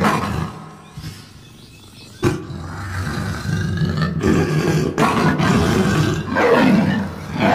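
A lion gives deep, rumbling roars and growls, heavy in the low register.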